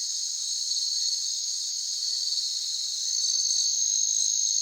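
Crickets keep up a steady, shrill, high-pitched chirping that blends into a continuous ringing chorus.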